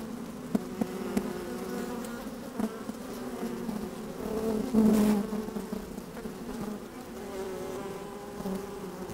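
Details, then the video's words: Honey bees at an open hive, sunny and a little windy, microphone placed within the hive: humming drone broken by sharp taps and a louder swelling buzz around the middle. "4K Open Beehive - One Hour Video and Audio"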